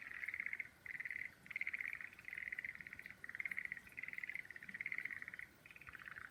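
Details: Frogs calling in a setting of full-bloom cherry trees: rapid pulsed trills in clear bursts of about half a second to a second, separated by short gaps, repeating steadily.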